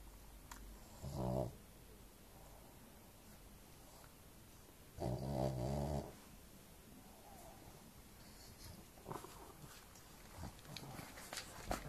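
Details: Pug snoring very loudly while asleep indoors; two deep, rasping snores, the second longer and rattling, separated by about four seconds of quiet breathing and faint clicks.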